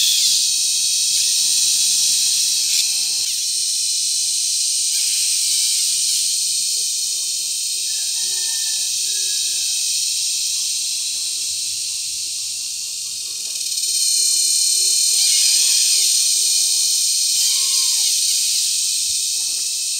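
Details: Loud mating calls of cicadas recorded at close range in La Carlota City, Negros Occidental, on July 18, 2020, in cicada season: a continuous piercing high buzz that swells and fades slightly, with faint thin whistles beneath.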